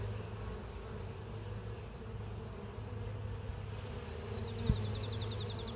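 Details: On a spring day, honey bees flying give a steady, low droning hum throughout, with faint high insect ticking, a brief chirping bird trill near the end, and one sharp click.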